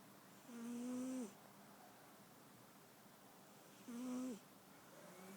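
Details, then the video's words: Domestic cat snoring indoors: two drawn-out, nasal, tonal snores about a second long, roughly three seconds apart, each with a faint airy hiss above, over a quiet room background. "Snoring cat"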